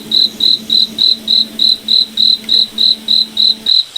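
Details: Cricket at night in a moonlit forest, giving steady high, pure chirps about three and a half times per second, very even, over a faint low steady hum that stops near the end.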